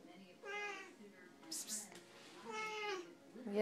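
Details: Two chatty Siamese cats, Max and Caesar, indoors: two drawn-out harmonic meows, each under a second and about two seconds apart, with a brief hiss-like burst between them and a person talking to the cats around them.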